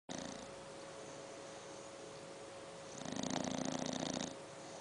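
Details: English bulldog puppy, 7 months old, snoring: after about three seconds of near-quiet with a steady faint hum, one rough, rattling snore of fast fluttering pulses lasts just over a second, then fades back to stillness.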